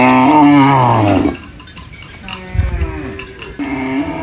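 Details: Farm cow eating banana leaves gives a loud falling moo lasting about a second, followed by quieter harmonic calls and a short low moo at the end, with faint clinking in the background.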